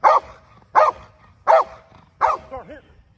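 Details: Dog barking during handler protection: four forceful, evenly spaced barks about 0.7 seconds apart, with a short wavering tonal sound trailing the final bark over a quiet background.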